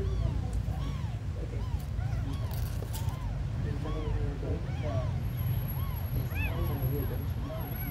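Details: Tiny abandoned kittens calling: short, rising-and-falling mews come one after another, some overlapping, over a loud continuous low-pitched rumble, with a thin high whine near the end.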